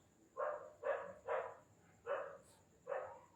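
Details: Young Indian pariah dog puppies being called at bedtime give a quick run of five bright, yappy barks, the first three tightly bunched and the last two spaced out, over a low background hum.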